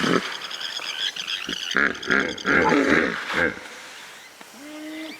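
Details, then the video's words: A hippo honks in a rapid series of five or six rhythmic, throaty pulses, each buzzy and deep, after a brief hissing start; faint whistled tones follow at the end. "Hippo Sounds (4 Minutes) – Hippo Sound Effect"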